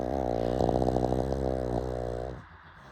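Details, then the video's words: Pug snoring late at night: a loud, low, buzzing rattle with a steady pitch that pulses rapidly for about two and a half seconds, then fades into quiet room noise. "Late night snoring"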